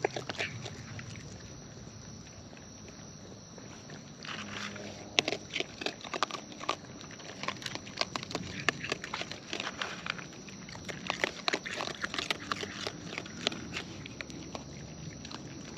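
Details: Close-up wild raccoons feeding outdoors: quiet rustling for the first seconds, then a dense run of crisp crunching clicks from about five seconds on, irregular and bright, with a constant faint hiss beneath.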